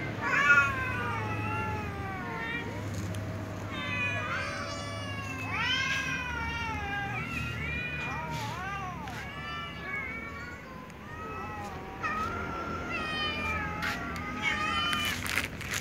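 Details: Little cats, a tom, a ginger and a silver cat meowing pitifully at meal time; many overlapping arched meows in quick succession, some short and squeaky, with clicks and clatter and faint voices.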